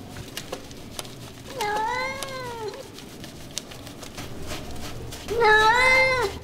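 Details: Two clear meows from a domestic cat during grooming, each a drawn-out arched tone rich in harmonics, about three seconds apart, with small clicks and handling noise between.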